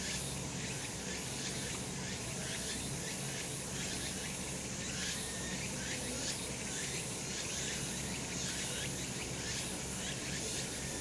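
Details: Sunny summer mountainside full of cicadas: continuous hissing, buzzy high chorus with brief beating pulses early on, steady in loudness throughout, with a faint low hum.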